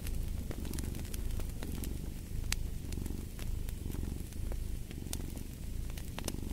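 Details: Deep, rumbling cat purr with a soft in-and-out breathing pulse, accompanied by bright, scattered crackling and popping from a wood fire in a fireplace.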